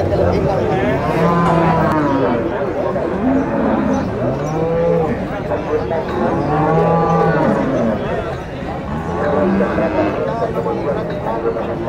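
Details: Bulls at a livestock market in Nueva Guadalupe, El Salvador, mooing continuously. Deep, arching calls from several animals overlap, set against faint background voices.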